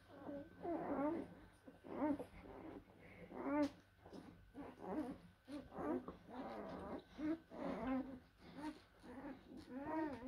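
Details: Young blue Great Danes, puppies born 17–18 April 2023, whine and yelp in a steady run of high, quavering cries, roughly one burst every second or two, with a faint background hum.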